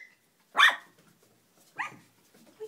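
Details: Dog barking on a kennel deck where puppies are playing, the barker being the puppies' mother: two sharp, broad barks about a second apart, then a faint short whine near the end, with a person's voice nearby.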